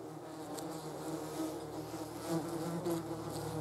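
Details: German wasps, called yellow jackets, feeding on a jar of jam; a steady low wing buzz with layered harmonic bands, swelling and fading as insects move close to the microphone.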